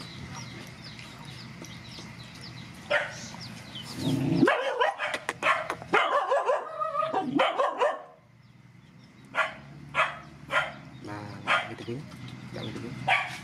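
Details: Mother dogs and puppies from a rescue, fed together: scattered barks rise into a noisy jumble of yaps and rustling midway, then a short silence before spaced single barks return.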